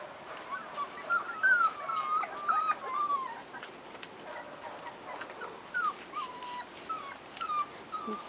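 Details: Several Rottweiler puppies aged 4.5 weeks, out of doors for the first time, give a steady string of high, wavering whines and short squeaks, roughly two per second. Occasional human speech can be heard.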